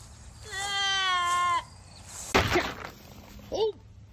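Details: Myotonic goat, a fainting goat in a playful compilation, gives one loud, wavering, quavering bleat lasting about a second, rich in harmonics. Short human exclamations and a brief squeaky vocal sound follow.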